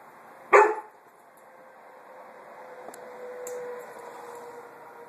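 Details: Roxy, a puppy, investigating and harassing a small watermelon indoors, lets out one sharp bark about half a second in, followed by a faint lingering ring and a couple of light clicks.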